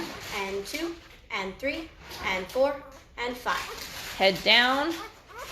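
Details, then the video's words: Five-day-old Great Bernese puppies, a Great Pyrenees and Bernese Mountain Dog cross from mother Lacey and sire Castle, giving short tonal whines and squeaks in quick, uneven succession indoors, some notes flat and some sliding. "Great Bernese Puppies are 5 days old and getting noisy!"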